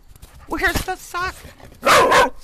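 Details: Standard Poodle called Quincy at play indoors, fetching a sock while a woman urges it to bring it here: two wavering, warbling yowls with stacked harmonics, then a short harsh bark-like burst, with her voice overlapping.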